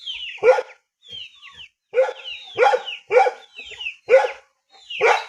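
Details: Rural dog giving a handful of loud, rough barks spaced under a second apart, with shrill descending chirps from other animals between them.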